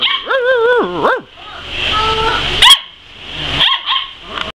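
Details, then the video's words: Tri-colored border collie "talking": a long wavering, howl-like whine that bends up and down and then drops, followed by a softer tone, a sharp click and short rising yips, over steady background hiss. "Tri-Colored Talking Border Collie"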